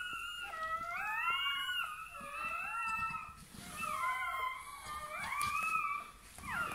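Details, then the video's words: Bernese Mountain Dog puppy at birth, indoors: repeated high squealing whimpers, each rising then bending down, about five cries in under seven seconds, small clicks and rustles between them. "Naissance d'un chiot bouvier bernois"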